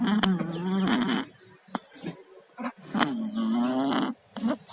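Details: Pet cats Tayen and Lilu, both down with colds, snoring in their sleep: two long raspy, congested breaths of about a second each with a low buzzing hum, separated by short quiet gaps.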